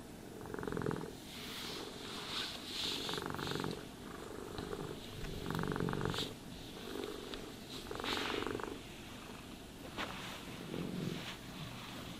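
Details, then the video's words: Purring cat being brushed and groomed: pulsing low purr swelling and fading about every two seconds, brush strokes scratching on top, quiet room with no voices. "Cats Purring Sounds for Sleep and Stress Relief | Cat Brushing, Cat Grooming"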